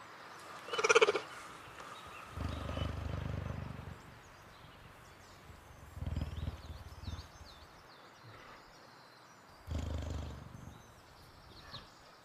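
A cheetah gives a brief high chirp, then several deep, rumbling purr bouts.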